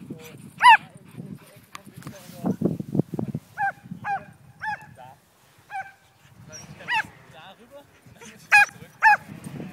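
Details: Border Collie mix Betsy yelps at a kite she is herding as it flies; sharp high barks are scattered singly and in short runs, with a brief low voice and rumbling between them.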